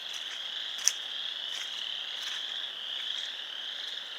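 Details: Many frogs at a pond in Sanborn, New York, recorded 29 March 2020, produce a constant high-pitched trilling chorus, with one sharp click near the start standing out above it.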